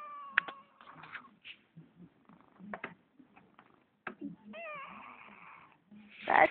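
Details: Spoiled pet kitten meowing in answer to its owner, with a distinctive meow: short wavering, chirpy meows scattered among a person's soft speech, one longer wavering meow near the end, and a louder burst at the close.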